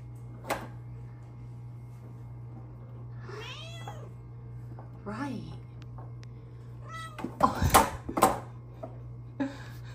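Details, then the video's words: Indoors at her favorite window, pet cat Luna, being petted, utters two short wavering meows midway, surrounded by a woman's affectionate talk, tapping and rustling noises, and a constant low hum. "Meowy kitty returns to her favorite petting window!"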